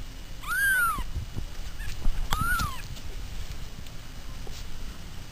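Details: Two brief rising-and-falling meows from a pet cat, about two seconds apart, the first louder and clearer, followed by quiet room noise.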